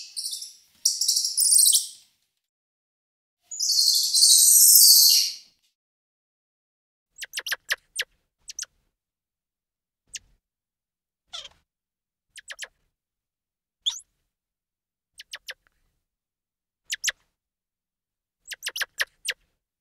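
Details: Squirrel monkey starting with two loud, harsh, high squealing bursts, followed by a long spaced series of tiny sharp clicks and chirps, often in quick pairs or triplets.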